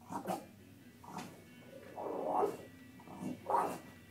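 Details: Lucy the Bulldog, unhappy at seeing herself in a reflection, mixes short gruff woofs with longer moaning grumbles, roughly one outburst each second, the loudest a drawn-out grumble in the middle.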